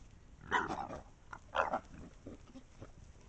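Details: A pack of wild boars caught on a trail camera in Estonia. Two loud, harsh squealing grunts come about a second apart, followed by softer, scattered grunts against a low background rustle.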